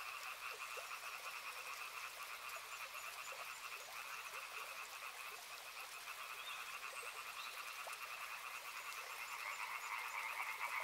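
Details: Frogs croaking near a river, a continuous fast-pulsed chorus in two tonal bands that strengthens toward the end, set against a steady wash of running water.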